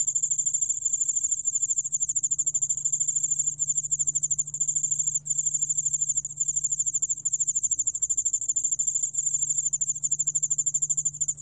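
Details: Yeoul-allak ground cricket recorded by Korea's National Institute of Biological Resources, 2020: a continuous high, rapidly pulsed trill with almost no breaks, over a steady low electrical hum.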